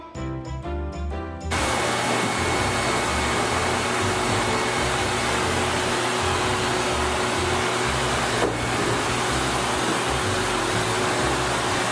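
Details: A hair dryer roars steadily after a brief burst of music at the start, with no animal voice heard.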